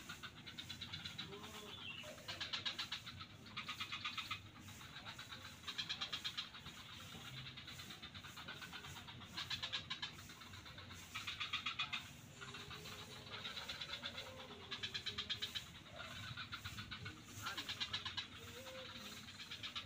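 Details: A swamp chorus of frogs at Kuta beach, Bali: repeated rattling bursts of rapid pulses arriving roughly every one to two seconds throughout, with fainter overlapping callers and a constant low hum.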